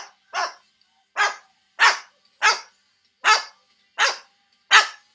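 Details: Neighbour's dog in Georgia barking loudly, seven sharp barks about every 0.7 seconds, each a short broadband burst.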